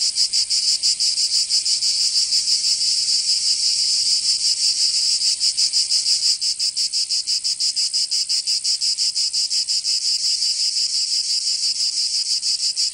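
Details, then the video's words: Summer cicada chorus from Provence in the south of France. A loud, high rasping drone throbs in regular beats roughly three per second, slightly softening midway, with a quiet background. "Canto Cigarra 🦗 [ Escuchar les cigarras en verano 10 H]"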